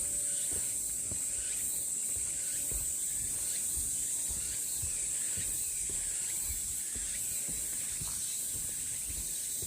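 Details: Cicadas on a pine-breeze trail at Deogeumsan, Namwon, South Korea, 16 August 2019, filling the air with an intense, even high-pitched drone that pulses gently, scattered light footfalls underneath.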